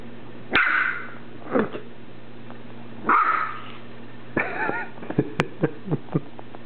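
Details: Two dogs playing together one afternoon, Elizabeth, a six-week-old Pembroke Welsh Corgi puppy, and Casper, a seven-year-old American Eskimo: two sharp bright barks about two and a half seconds apart, then wavering squeaky yips and soft thumps, over a steady low hum.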